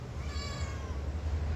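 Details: Pet cat answering its owner in conversation with a single mid-length tonal meow that rises then fades, set against a constant low droning hum, with Telugu speech just before and after.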